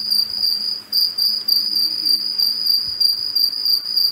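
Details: Cicada recorded in the early morning of 2 March 2021 in a residential garden in Cape Town, South Africa, with an AudioMoth: a loud, continuous high-pitched buzzing whine with pulsing swells, steady throughout, faint low hum beneath.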